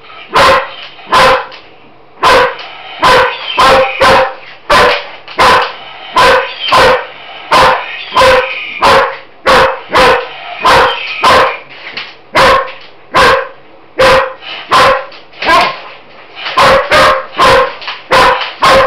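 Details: Excited German Shepherd female barking nonstop at a mechanical Roboraptor toy; a long run of loud, rapid barks, sometimes doubled, with the toy's buzzing motor audible in the gaps.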